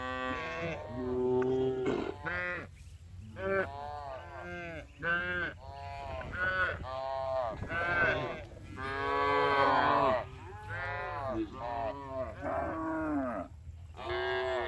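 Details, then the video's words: Tame cows being herded back to the barn in the afternoon on a village farm, calling with many overlapping harmonic moos, some short and some drawn out, several animals answering one another in quick succession, with a steady low hum underneath. "Funny Cow Sounds"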